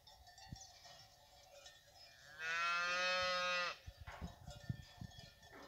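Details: Fighting bull cows with their calves at the La Paloma ranch: one long, steady, harmonic-rich moo lasting about a second, over cowbells ringing constantly in the background.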